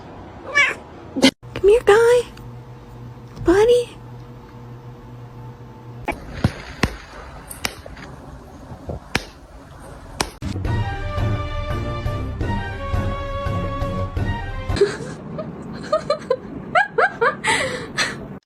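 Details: Domestic cat giving two short rising-falling meows in the first few seconds, with a person talking and laughing nearby, clattering sounds, then a stretch of loud background music before more speech.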